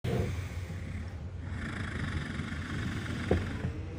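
A walrus snores in deep, rumbling, rattling breaths that stay low and steady.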